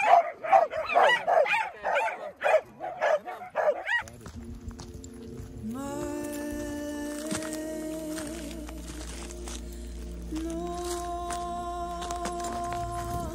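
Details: Small dogs excited at a farm, including a Havanese on his first day, yap rapidly for about four seconds before the barking gives way to music.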